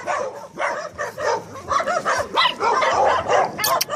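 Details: Staffordshire Terrier dogs giving dense, overlapping yips, short barks and whimpers in quick succession, with little pause between calls and a few sharp high squeaks near the end.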